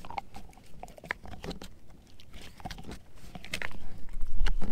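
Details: Edu the German Shepherd mix chewing a dehydrated pig ear: rapid irregular crunches, roughly three bites a second, growing louder and heavier toward the end, recorded in a small room.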